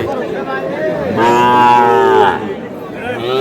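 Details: Small bull calves at a cattle market where a farmer from Madaripur is buying, 28 April; a long drawn-out harmonic moo rises and holds, then a shorter call follows, over steady crowd chatter and bargaining voices.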